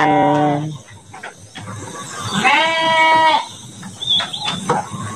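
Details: Large Garut sheep in a pen in Central Java, Indonesia, kept for the 2024 Qurban; a short harmonic bleat opens, followed by a longer, wavering, nasal bleat, then quieter pen noise and a faint high chirp.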